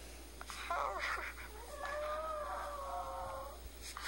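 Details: A five-year-old male Chihuahua, sad because his female is in heat and he can't get close to her, howls in a thin, sustained, slightly wavering tone after a few short warbling yelps.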